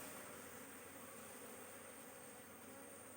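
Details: Dense, loud buzzing of honey bees described as very aggressive, recorded at an open hive during queen cell removal; a thick, unbroken wash of hum filling all pitches.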